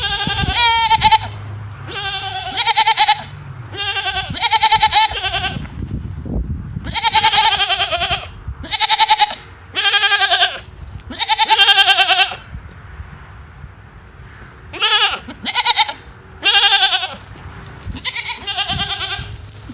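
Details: A female goat gives short, strained, wavering bleats with a high, almost chirping edge, in quick bursts.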